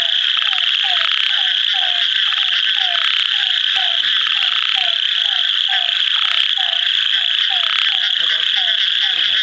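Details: Near Kadur in India, an ornate narrow-mouthed frog calls amid a continuous shrill buzzing chorus, while brief low downward-sliding notes repeat at a steady pace roughly twice per second.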